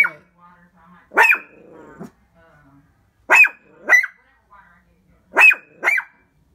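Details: Indoors, a Shih Tzu keeps barking at its reflection in the window: a loud bark, then two pairs of sharp yaps, each pair a double bark, with brief quiet murmuring in between.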